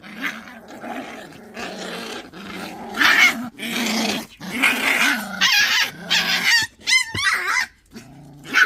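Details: Pungsan dogs in a rank fight: rumbling growls building to loud snarls, with a quick series of high yelps and whines near the end.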